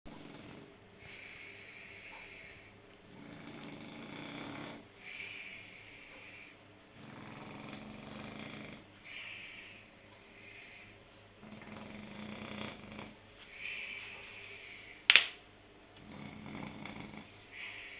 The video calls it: French Bulldog snoring